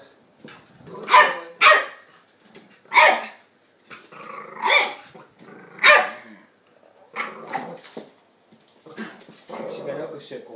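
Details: Play barking between Tony, a two-year-old Chihuahua, and Dexter, an eight-week-old English Staffordshire pup, indoors. Irregular high barks come every second or so, mixed with rougher growly yaps and muffled scuffling, with a person's voice in the background.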